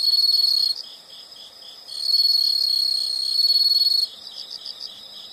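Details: Insects calling as a calming nature sound: loud high continuous trills in bursts with pauses, over a softer steady background of pulsing chirps from other insects.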